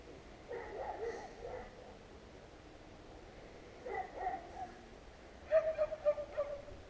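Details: Street dogs on a residential street, filmed with a GoPro Hero, barking at passers-by: three bursts of sharp, harmonic barks, each a quick run of three or four yaps separated by pauses, over a low background hum.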